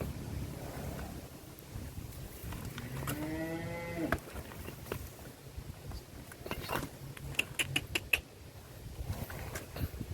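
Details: Giant cattle at the APPSI cattle contest in Karawang, Indonesia, in 2023, with Goris and Wariso competing; one low, drawn-out moo with stacked harmonics lasts about a second, followed by scattered sharp clicks and knocks.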